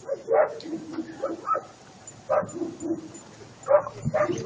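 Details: Short, muffled barks from Attila ot Salmoxis, a German Shepherd puppy eight months old. Four separate bursts are spaced a second or more apart, with soft Russian speech and low background noise in between.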